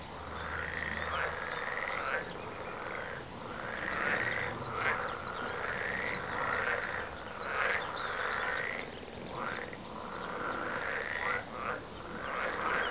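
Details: Dense chorus of frogs, loud rasping croaks repeated in quick succession by many callers, a continuous mass of sound.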